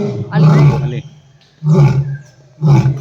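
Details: A lion at Bannerghatta zoo gives deep, rasping roaring grunts, three heavy bursts roughly a second apart.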